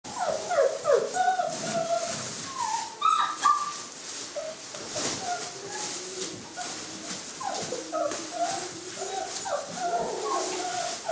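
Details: Saluki puppies from one litter chasing a lure, giving a rapid overlapping run of high whines and yelps, some rising and falling, several pups calling at once with brief breaks, over steady background hiss.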